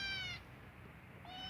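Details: A young pet kitten calling because it has to poop: a high, thin meow that tapers off, then another brief high mew begins a second later, with faint room hiss behind.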